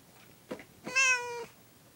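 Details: Pet cat meowing after hearing a cat meow on a recording: one clear, steady, drawn-out meow about half a second long, with a faint chirp just before it, indoors.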